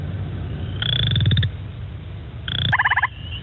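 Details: A Western chorus frog, found around Guelph, gives two short, rising pulsed trills, like a fingernail run along a comb.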